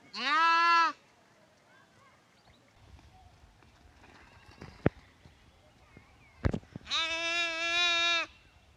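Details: Lamb from a compilation of lambs, bleating twice, a short bleat at the start and a longer wavering one near the end, with clicks, knocks and handling noises in between.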